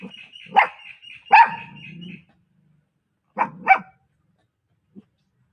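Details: A female Pomeranian puppy gives sharp, high-pitched yapping barks, singly and in quick pairs.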